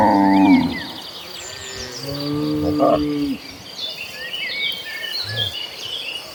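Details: Dozens of tame cattle heading toward a green pasture; a short moo at the start, then a longer, lower drawn-out moo, over steady bird chirps and twittering.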